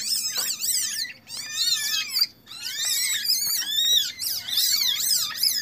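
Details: Asian palm civets held in captivity in Indonesia, around a birth of three young and the pairing of a Bali brown and a normal civet: dense, loud, quavering high squeals overlapping almost without pause, with brief gaps.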